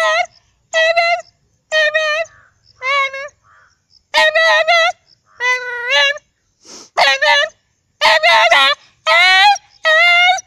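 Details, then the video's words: Dog giving a run of short, wavering, yodel-like howling cries, about a dozen bursts in ten seconds, each a bright, tonal wail that bends up and down with brief quiet gaps between. "sounds of dog @@aaUUUU aaUUUU"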